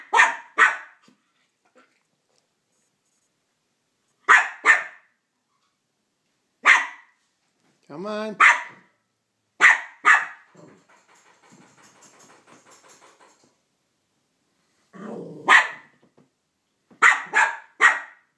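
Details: Male Cavalier King Charles Spaniel barking at Minnie Mouse, who took his bone; sharp barks in pairs and triplets separated by pauses, with low growls in between and a person's voice urging him on.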